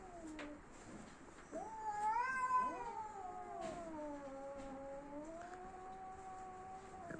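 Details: Angry domestic cats facing off before a fight, one tense and ready to scratch: long drawn-out wailing howls that slide up and then slowly fall, sustained over several seconds with a quiet room behind.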